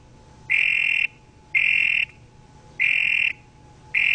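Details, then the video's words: Toad croaks come as loud, pulsed buzzy trills of about half a second, repeated roughly once a second, with quiet gaps and a faint steady tone beneath. "sound of toad croak croak croak"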